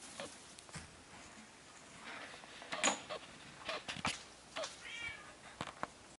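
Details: Selkirk Rex kittens indoors: a brief, thin, high mew near the end, among scattered clicks, taps and small knocking sounds.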